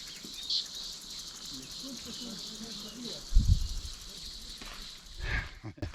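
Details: Many cicadas (chicharras) fly and call in large numbers on a trail to the Salto de La Leona waterfall near Salamanca, Chile. Their unbroken, shrill buzz holds level, with quiet voices beneath and a couple of handling thumps near the end.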